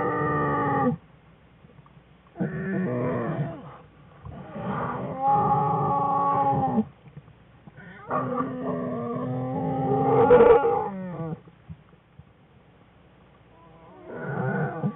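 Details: Wild American black bear family in its winter den on February 21, 2013, cubs playing and crying loudly; a run of harmonic bawling cries, some wavering, in bursts of one to three seconds, with brief pauses.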